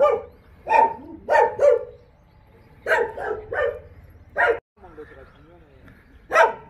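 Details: Jindo dogs in the kennel of the Jindo Dog Theme Park, Jindo County: loud single barks in short bursts of two or three, separated by pauses, with a faint whining tone in one gap.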